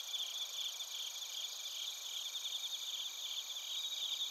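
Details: Night chorus of bell crickets and crickets in Narita, Chiba Prefecture, Japan, recorded on a TASCAM Portacapture X8, with steady high ringing tones and fast, quivering pulsed trills from several insects at once.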